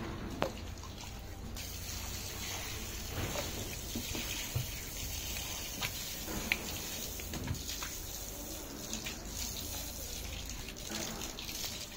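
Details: Running and splashing water fills the whole recording, with faint voices in the background.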